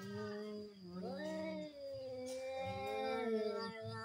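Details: Cats in a fight, one sustained, moaning yowl that slides upward then holds and wavers, continuous for about four seconds.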